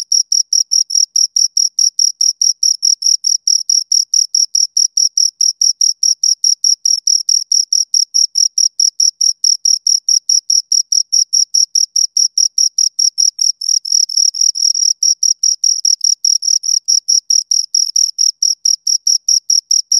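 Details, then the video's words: Two crickets chirping close up, a steady stream of high, bright pulses repeated about two or three times a second for the whole stretch, with a faint higher overtone and no other sounds. "Two Crickets Chirp Sounds for Two Hours Right on Your Ears"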